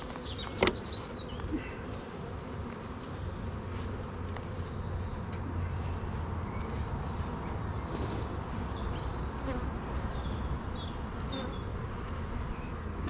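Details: Honey bee colony in an apiary, hive open for inspection with many young bees present, gives a long unbroken low buzz, a sharp click early on, and scattered faint high chirps from birds.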